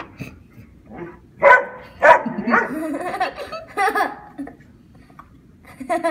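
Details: Brad and Odie, two dogs going after a giant grasshopper, give a burst of overlapping, uneven barks and yelps with some scuffling noise in a small indoor space.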